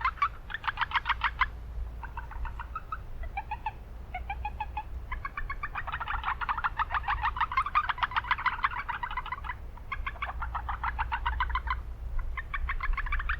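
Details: Urban wetland chorus of Japanese brown frogs, noisy setting; quick pulsed clucking bursts separated by short gaps, merging mid-clip into a thick overlapping chorus, with strong low rumble of traffic-like noise.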